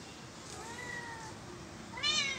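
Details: Kittens playing in plant pots; a faint drawn-out meow is followed by a louder, short, rising-then-falling meow at the end, over steady background hiss.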